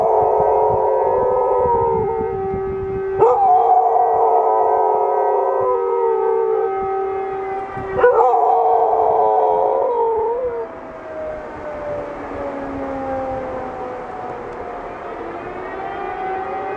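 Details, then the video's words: Pet dog howling along with a siren, as it does whenever the siren sounds. Steady droning tones hold for the first ten seconds with two sharp bumps. Then a long wavering, sliding howl fades out beneath the siren. "Heulender Hund / howling dog"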